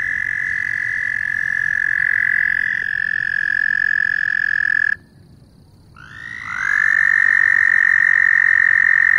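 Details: Loud frogs in a steady, piercing trill chorus that cuts off abruptly midway. After about a second of near silence, the calling swells back in and carries on as strongly as before.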